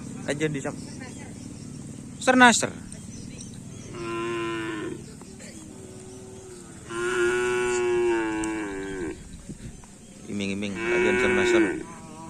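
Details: Cattle at a Karapan Sapi bull race training gathering on the Asemanis field: three drawn-out, steady moos, each lasting one to two seconds and spaced a few seconds apart, preceded by a brief sharp cry, over a constant background hum.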